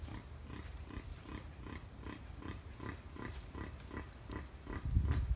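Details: Wild boar recorded on 5 November 2015 at Tampa, giving a steady run of short, low, rough grunts, roughly three per second, over a constant low rumble.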